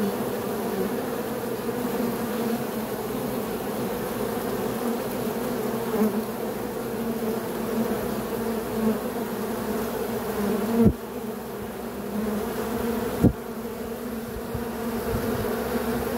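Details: Dense, continuous humming of many honey bees, a steady low drone with two brief sharp clicks late on.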